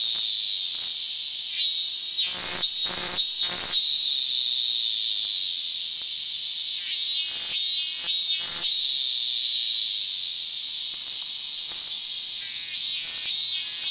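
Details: Hand-held Japanese cicadas (Hyalessa maculaticollis fuscata) on August 8, 2022 produce an unbroken, intense high whine, broken by a burst of rattling crackles early on and scattered clicks later.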